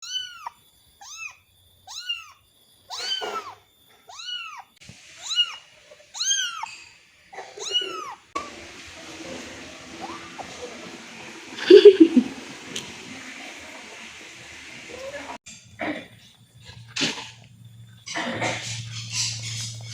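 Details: Angora-mix kitten meowing repeatedly for its mother, described as panicked far from her; about ten short, high, arching meows in the first eight seconds, then quieter rustling and handling sounds indoors.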